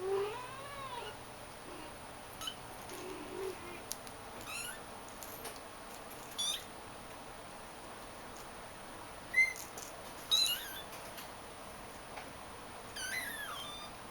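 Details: Shaded golden Persian kitten, described as a talker, plays with a toy indoors beside its mother and littermates; brief high meows come scattered and irregular, with a woman talking softly between them.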